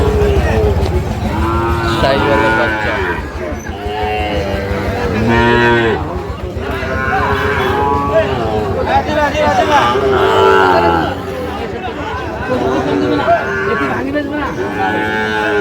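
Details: Sahiwal bull calves at Amabari cattle market in Cumilla, Bangladesh, 12 May 2025, where farmers are buying; several overlapping drawn-out moos, rising and falling, come every second or two over steady crowd chatter and men bargaining.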